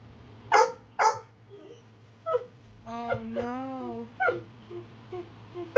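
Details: Fenway, a rescued pit bull mix, voices upset while his dad makes play time bombs: two short sharp yips, then a drawn-out rising and falling whine with a few more short barks, faint music beneath.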